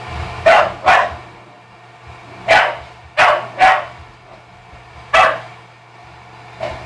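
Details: Jewel, a dog, barks to drive Stella back after Stella started the scuffle. Loud, harsh barks come in quick pairs and singles, roughly every second or two, over a faint background hum.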